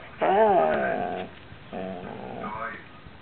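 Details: A pet dog talking to her squeaky ball: two short, moaning, growly vocal bursts with wavering pitch, the first louder, separated by a brief pause, ending in a faint rising squeak.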